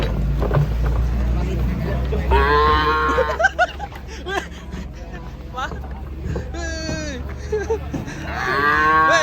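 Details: Unruly cattle being unloaded from a truck in Indonesia; several drawn-out, harmonic moos rise and fall amid men's shouting and talk, with a low engine rumble underneath.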